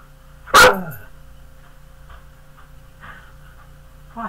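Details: One loud, abrupt bark from a big pet dog, followed by several seconds of near quiet with faint, low human talking in the background.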